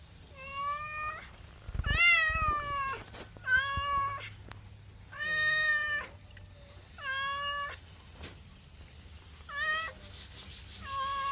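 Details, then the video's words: Cat giving a run of insistent meows, roughly one every second or two, each a bright harmonic cry bending slightly upward then down, a soft thump early on. "MEOWING MEOWING - CAT CUTES - CAT FUNNY - SOUND CAT - MEOW CAT 01"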